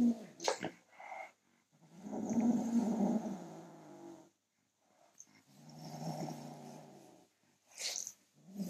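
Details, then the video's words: Kitten defending his toy from a person reaching for it, giving two long, low, throaty growls that swell and fade, with brief rustles and scuffing sounds at the start and end. "Kitten growling at me trying to take his toy"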